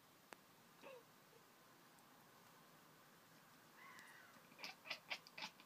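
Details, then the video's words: Pringles the cat chattering at birds outside, heard indoors; a brief rising chirp followed by a rapid burst of about six staccato, clicking pulses in quick succession, with faint ticks earlier. "Pringles the Cat sweetly, chattering away to the birds outside!"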